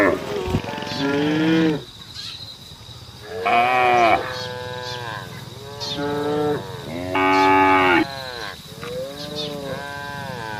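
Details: Cattle on the road calling to the herd with bellowing, harmonic moos, five strong calls each about one to two seconds long, spaced by brief quiet gaps.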